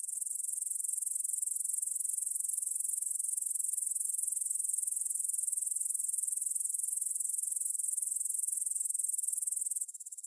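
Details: Grasshoppers in a meadow near the Svensky monastery, Bryansk, Russia, 9pm on 6 September 2020, stereo Tascam DR-44WL recording: steady high-pitched pulsing chirr that drops suddenly quieter in the last half second.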